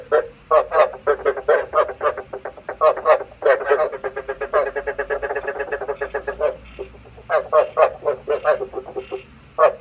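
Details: Decoy frog calls used by night trappers: long, dense trains of rasping pulsed croaks, speeding into a fast rattling run midway, then breaking into spaced bursts, with a steady hum beneath.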